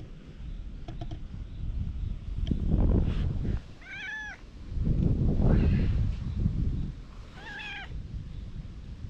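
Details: Stray cat stroked with a cat grooming brush, filmed on a GoPro HERO8: two short, clear rising-then-falling meows about three and a half seconds apart, over low rumbling handling and wind noise.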